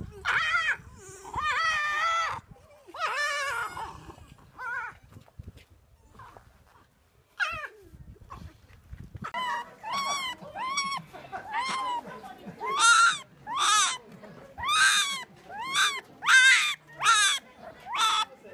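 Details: Whining fox calls at feeding time in Japan's Fox Village (Kitsunemura), a Miyagi sanctuary: a few cries, a quieter gap, then a steady series of high, harmonic whines repeated a little under once per second.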